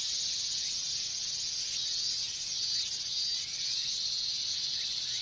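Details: Japanese summer chorus of minmin cicadas: a shrill, even buzz filling the upper range, with faint faster chirring threads woven through and a small dip in volume midway.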